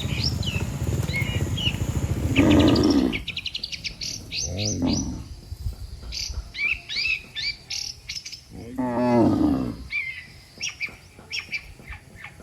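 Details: A line of cattle on a road gives deep, harmonic lowing calls, as if summoning the herd back to the pen. Three moos rise from a busy background of rapid bird chirps and tweets.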